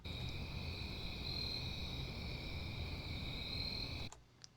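Crickets chorus in a steady, high continuous trill that cuts off abruptly near the end.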